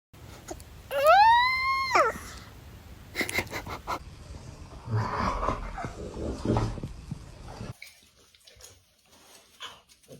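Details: Dog yawning, with a squeaky whine that rises then falls and lasts about a second. Quieter rustling and soft thumps follow in a small room.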